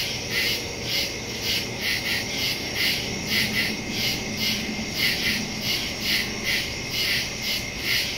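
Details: Crickets calling after dark in the woods, September 2, 2023, Samsung Galaxy S22 Ultra with Shure MV88+ microphone; high-pitched chirps pulse roughly twice a second above a constant insect drone, a faint low hum beneath.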